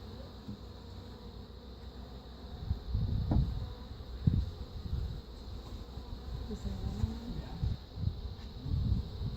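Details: Buzzing honey bees around a reassembled hive after installing an Italian queen to replace a feral, defensive queen; low droning hum mixed with thumps of handling and some faint voice-like tones.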